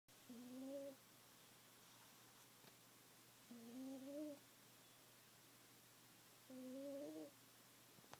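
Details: Sleeping domestic cat snoring very loudly: three whistled, slightly rising tonal breaths, each about half a second or more, returning roughly every three seconds in a quiet room.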